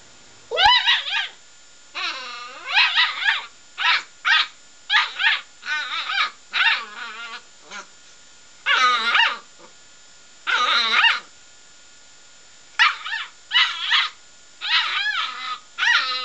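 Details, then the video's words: Seven-week-old Border Collie puppy, indoors, scolding a radiator that bit his nose: a run of high, yappy barks and rising yips in quick bursts, about a dozen over sixteen seconds with short pauses between, no other sounds. "Border Collie puppy tells off radiator"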